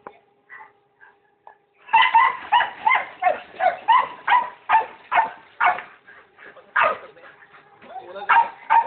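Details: Pet pit bulls barking in a rapid series of sharp, harsh barks, about two or three per second, after a few faint sounds at the start.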